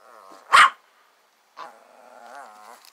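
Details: A single sharp bark from a frightened dog as a playful lamb approaches at a trailer, followed by a longer, wavering tonal cry from another animal.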